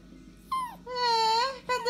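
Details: Pet dog calling for its owner, called daddy: a short falling whimper, then a longer arching whine that rises and sinks smoothly. A third cry begins just at the end.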